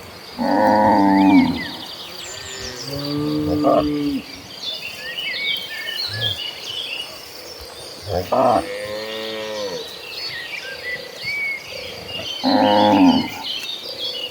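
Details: A herd of cattle walking toward a green pasture, lowing in several deep, harmonic moos spaced a few seconds apart, some short and some drawn out, with chirping birds high in the background.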